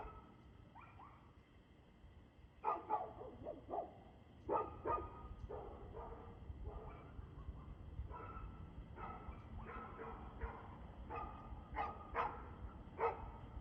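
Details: Dog barking at 6:02 pm on 2 June 2024. Repeated harmonic barks arrive in irregular clusters, sometimes doubled, growing busier toward the end, with constant low background rumble.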